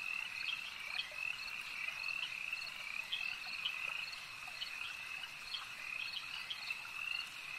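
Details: A steady chorus of frogs at a lake, high-pitched and trilling, with quick pulsed croaks repeating over a continuous ringing background.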